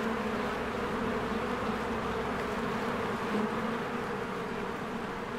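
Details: A swarm of honeybees flying around the entrance of their hive in spring, recorded with a Canon EOS R: a constant low drone of many wings that swells slightly and then eases, with no other clear sounds.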